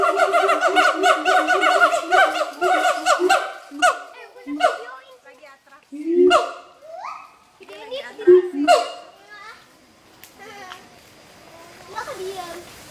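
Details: A pair of adult siamangs at Schmutzer Primate Center sing their territorial duet: a rapid run of loud, harmonic barking notes gives way to slower swooping and rising calls with deep booming notes between pauses.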